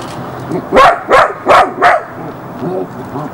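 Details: Jessy, a young Border Collie pup recorded in Barsbüttel, Hamburg, in January 1994, lets out four quick high barks in a row, evenly spaced, followed by softer murmuring voices.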